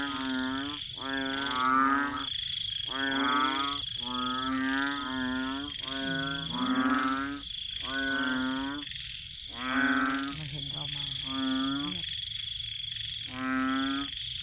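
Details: Large night chorus of banded bullfrogs at a rural garden home following heavy rain: one-second nasal bellowing croaks follow one another almost every second, some overlapping, while a constant shrill drone runs underneath.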